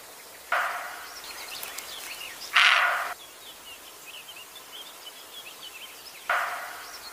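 A roe deer gives three harsh, gruff barks spaced a few seconds apart while small birds twitter behind.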